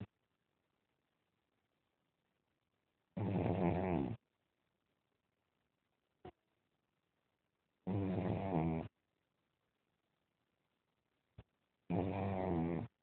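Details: Sleeping pug snoring indoors: three low, rasping, harmonic snores, each about a second long, spaced roughly four seconds apart, with faint brief clicks between them and an otherwise quiet room.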